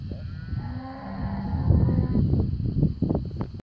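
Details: Cattle, a large herd of 650 European and European-cross yearling heifers on native pasture in Rosário do Sul, Brazil; a drawn-out low moo with faint harmonics early on, then dense overlapping lowing and rustling from the herd.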